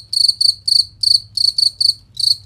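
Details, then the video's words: Cricket chirp recorded as training material for contest songbirds, crisp ringing bursts each made of several rapid pulses, about three per second, high-pitched and clean over a quiet low rumble. "Masteran Jangkrik Suara Jernih Nyaring dan Kristal"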